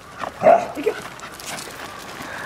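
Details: A corgi and a toy poodle, Kotaro and Chiroru, playing in snow: one short, mid-pitched bark near the start, a fainter yip just after, then soft outdoor rustling and a brief human voice at the end.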